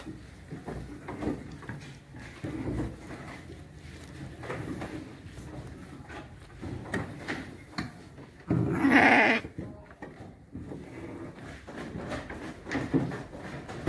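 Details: Garut sheep kept ready for the Qurban sacrifice, letting out a single loud, harsh, wavering bleat lasting about a second midway through, surrounded by thuds, knocking and faint muffled voices.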